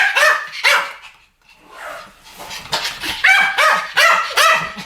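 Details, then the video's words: Duet barking by Pomeranian dogs, shrill yaps coming fast and unevenly, a short lull near the start, then a rapid run of bright, ringing barks toward the end. "ポメラニアン Pomeranian デュエット吠え 1000回 犬の鳴き声"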